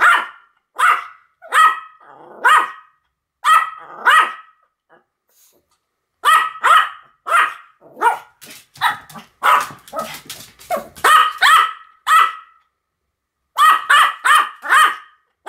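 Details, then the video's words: Pomeranians Sam and Marin barking in duet: rapid, high-pitched yaps in quick runs, overlapping and alternating, pausing briefly before starting again; a faint voice may be mixed in. "犬の鳴き声 ポメラニアン サム マリン デュエット吠え"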